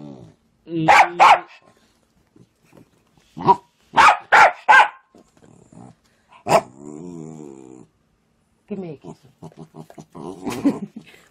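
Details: Pet dogs acting jealous and demanding more attention: short harsh barks in clusters of two and three, separated by pauses, with human speech, a drawn-out tonal sound and background music between them.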